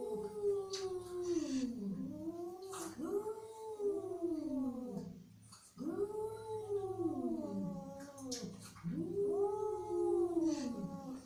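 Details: Angry cat producing a series of long, arching, moaning wails, about three in a row separated by short pauses, with some scratchy clicks and rustling between them.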